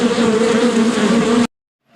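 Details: Bee buzzing: a steady, droning hum with a strong low tone and a bright overtone that holds for about one and a half seconds, then cuts off abruptly to silence.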